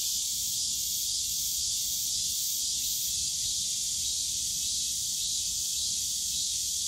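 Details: Continuous shrill buzzing of cicadas in the Yongsan Family Park bamboo forest on a summer day, with faint rapid pulsing at the top of the sound, over low park hum.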